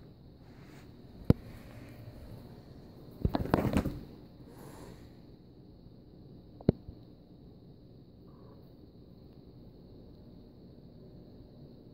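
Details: Quiet indoor background with a faint steady hum, a few sharp isolated clicks and one brief burst of rustling, but no animal calls.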